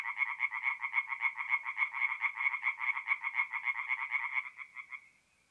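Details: Tree frogs calling at night in a forest pond in North-East Italy in mid April; a fast, regular pulsed chorus of nasal croaks continues for about four seconds, then thins out and falls silent.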